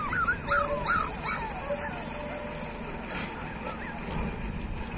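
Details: Street puppies whine in a few short rising-falling whimpers early on, then the cries fade into low outdoor noise and faint rustling.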